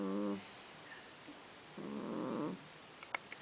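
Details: Young domestic cat that snores asleep or awake, giving a short low droning snore, a pause, then a longer buzzy harmonic snore of under a second, followed by a couple of faint clicks.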